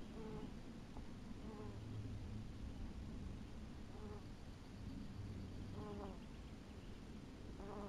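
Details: Honey bees at an apiary in 2012: short buzzing passes with a rich harmonic tone recur about every one to two seconds over a steady low hum, with faint high bird chirps in the background.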